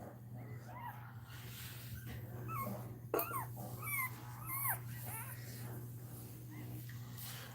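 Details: A Cane Corso cries while Cashmere is in labour: a series of high, bending whimpers that rise and fall, clustered in the middle seconds, with a steady low hum underneath.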